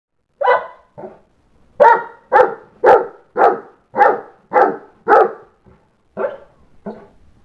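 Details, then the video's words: St. Bernard dog indoors, upset that the children went outside to play without him, giving loud, deep, hoarse barks: about ten in a steady burst, spaced roughly half a second apart, with short pauses near the start and end. "St. Bernard Bolander barks very loudly"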